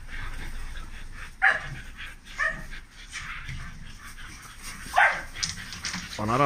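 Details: Big dogs at a kennel in Romania: a few loud, sharp barks spaced seconds apart, ending in a rising, wavering whine, with human voices and background murmur throughout.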